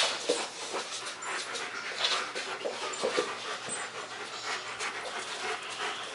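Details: Two German Shepherds, Max and Ace, playing on 14 September 2015: rapid, breathy panting and scuffling bursts run throughout, with scattered sharp clicks and rustles from the dogs moving.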